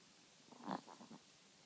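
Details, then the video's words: Chihuahua asleep, giving one short rough snore: a brief rattling snort followed by a few fainter pulses, set against a low, constant hiss. "Snoring Chihuahua"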